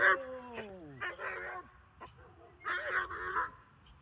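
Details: German Shepherd puppy in protection training, a descending whine-yelp followed by clusters of short, rough barks and yips, repeated in two bursts.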